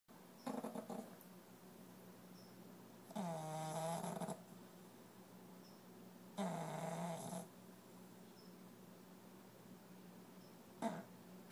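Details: Boston terrier pup snoring while napping; long raspy, buzzy breaths recur every three seconds or so, each about a second long, with quiet gaps between, in a quiet indoor room.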